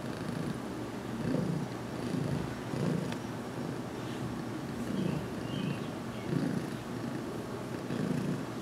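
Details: Cat named Heidi, newly adopted and slowly accepting massage, purring contentedly as her head is rubbed in a closet, June 2019; rhythmic low purr pulsing about once per second with faint rustling.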